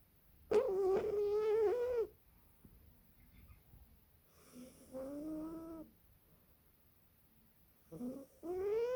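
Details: Female British Shorthair cat asleep and snoring, giving tonal, squeaky breath sounds lasting one to one and a half seconds and recurring about every three to four seconds, with near silence in between.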